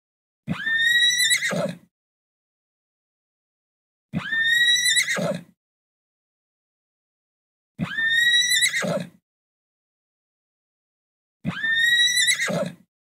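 Four loud, quavering horse whinnies come at roughly four-second intervals. Each begins high and shrill, shakes as it descends, and ends in a low, breathy snort, with silence between calls.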